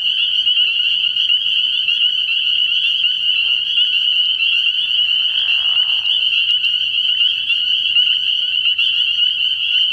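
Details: Early-year nighttime frog pond packed with spring peepers: a relentless shrill chorus of overlapping high peeps, steady throughout, with a brief soft lower swell of sound around the middle.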